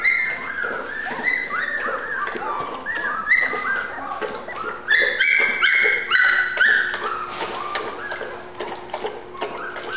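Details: A litter of Golden Retriever puppies in Terrell, Texas whimpers and whines almost without pause, overlapping high nasal cries that bend up and down, several squeaky yelps standing out midway.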